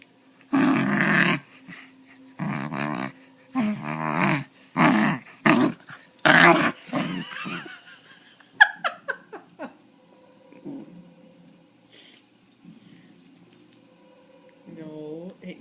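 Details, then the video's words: A 3-month-old puppy making strange noises while being petted indoors; bursts of harsh, throaty growl-like grumbles, each about half a second long, then softer whines and snuffles, with a person's voice near the end. "Puppy Does Gollum Impression"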